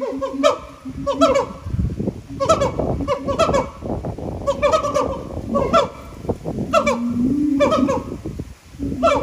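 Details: Captive siamangs singing at Japan Monkey Center, throat sacs amplifying their voices: loud repeated barking hoots with rising whoops, a steady low booming tone beneath, bursts every second or so.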